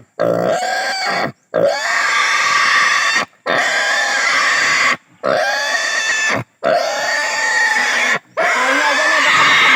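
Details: Native pig squealing during castration: long, loud, harsh screams with a steady high harmonic band, each lasting one to two seconds and broken by brief gasping pauses, repeated continuously.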